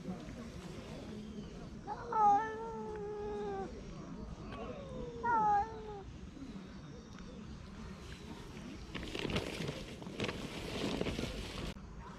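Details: Stray cat grumbling to keep its food from being taken: two drawn-out, whining, harmonic meows, one at about two seconds and one near five seconds, each bending downward, followed by rustling and scraping noises.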